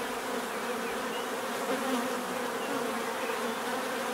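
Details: Short stretch of natural bee buzzing, a dense unbroken hum of many insects with slight swells in loudness.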